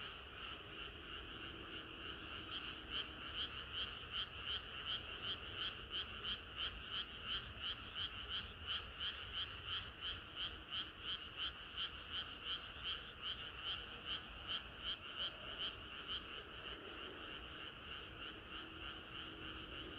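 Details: Frogs singing in chorus on a hot summer night: a dense, steady stream of rapid croaks, close to three pulses per second, with a bright band of sound running unbroken under the pulsing throughout.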